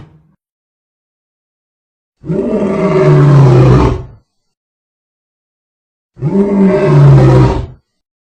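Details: Lion giving two long, drawn-out roars, each about two seconds of deep, harmonic, groaning sound separated by a few seconds of silence.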